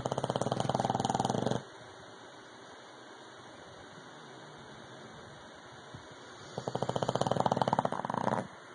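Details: English bulldog Rocky snoring loudly indoors: two rattling, buzzy bursts of rapid pulses, each lasting over a second, separated by about five seconds of quiet steady background hum.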